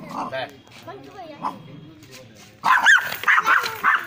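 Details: Angry, aggressive dog in a cage barking in a run of loud, harsh, rapid bursts in the second half, after a quieter stretch of a person talking.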